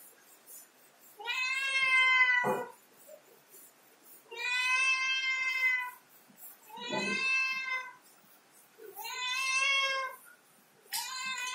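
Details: Domestic cat climbing a ladder, meowing insistently: four long, strained harmonic meows spaced roughly two to three seconds apart, each with a slight rise and fall, with soft thuds in between.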